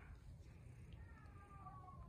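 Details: An indoor kitten gives a soft, drawn-out meow that slides gently downward over about a second, heard over a low steady room hum.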